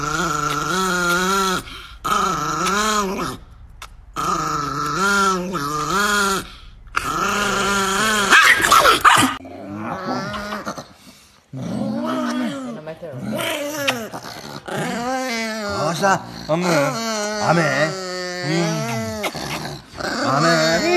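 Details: Angry Chihuahua, a pet dog, snarling and growling in long wavering bursts of a few seconds each, harmonic whine-like growls rising and falling in pitch, with brief sharp yips and short pauses between outbursts.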